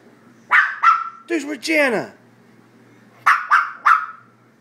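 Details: Maltese dog playing on a chair, giving two sharp, high yipping barks, then a short stretch of human voice, a pause, and three more quick barks in a row, indoors.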